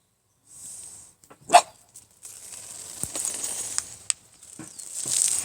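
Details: Young Shiba Inu puppy, December 5: one quick high yap early on, then scattered clicks, shuffling and a rising hiss.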